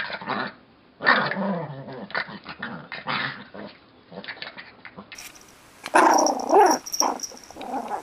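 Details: Yorkshire Terrier puppies, tiny and fluffy, giving bursts of rough growling mixed with short high yips and squeaky whines, separated by brief pauses.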